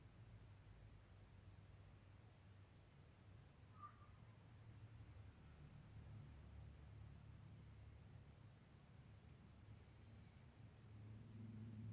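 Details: Very quiet low rumble and faint hiss, with no animal voice audible.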